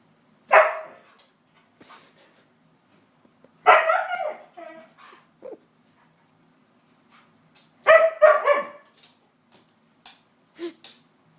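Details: White pet husky barking at a hoover it dislikes, three sharp barks spaced about three to four seconds apart with quieter yips between, a person speaking nearby.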